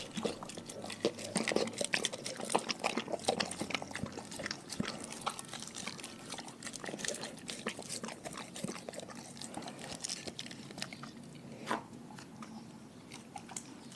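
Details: Dogs from one pack chewing raw food: a dense run of sharp, wet clicks and crunches, faster at first and sparser toward the close, with slurping, liquid-like noises throughout.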